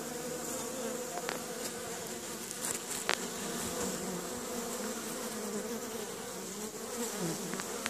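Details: Many honey bees flying around their hive at Caribou Bee Yard on a sunny spring day, April 25th 2015, some carrying pollen; continuous busy droning hum with slight rises and falls in pitch, no other sounds.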